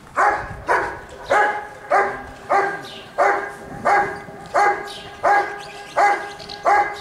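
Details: Giant Schnauzer, Rick vom Lindelbrunn, at a 2022 IGP dog sport trial in Russia, giving steady, evenly spaced loud barks about every 0.6 seconds, roughly eleven in seven seconds, over faint background noise.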